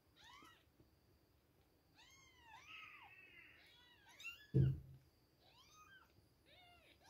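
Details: Milk time for two-week-old kittens: high, curved meows overlap and repeat, some drawn out and wavering, with one loud thump midway.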